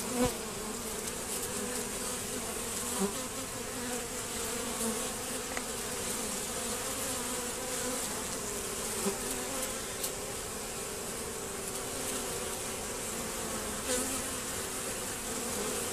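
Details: Many honey bees buzz around a reduced hive entrance guarded by a bent Z-shaped screen against robbing. The hum stays continuous and even, with occasional sharper surges as individual bees fly near, across about sixteen seconds.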